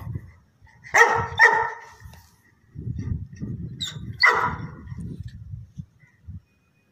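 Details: Labrador Retriever puppies, offered for sale in Karnal, Haryana, India: a few short, sharp barks in a quick pair near the start, another bark later, with softer low rustling and handling noise between them.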